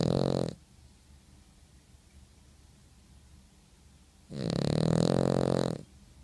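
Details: Sleeping dog snoring indoors: a short harsh buzzy breath at the start, then a longer, rough, harmonic-rich snore about four seconds later, with quiet room noise between.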